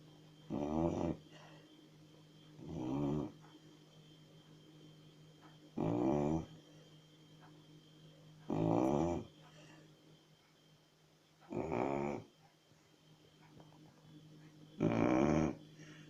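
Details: Sleeping Chow Chow snores steadily indoors, six coarse, vibrating inhalation snores spaced about every three seconds, with near silence and a faint low hum in between.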